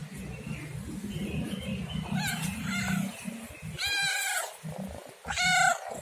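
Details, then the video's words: Domestic cat meowing: two brief chirpy calls, then two louder harmonic meows of under a second each, over a steady low rumble that resembles purring. "SUARA KUCING MENGEONG | Cat Meowing Sound"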